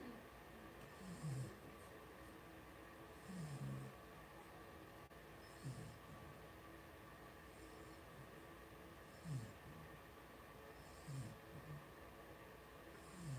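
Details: Litter of five two-week-old blenheim Cavalier King Charles Spaniel puppies born on New Year's to Paris and Spike, in a home puppy pen: soft, low snoring grunts recurring roughly every two seconds over a quiet hiss.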